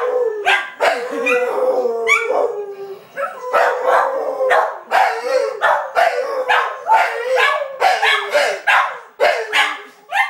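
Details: Dog howls mixed with frequent barks: a wavering held tone underneath, punctuated by rapid bursts of harsh barking throughout.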